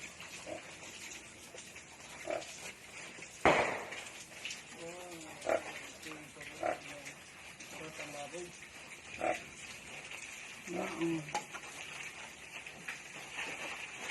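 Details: Newly born native piglets on a backyard breeding farm in Balamban, Cebu, Philippines, giving short harmonic squeals and grunts, scattered and irregular, with a louder burst early on, faint background hiss and occasional voices.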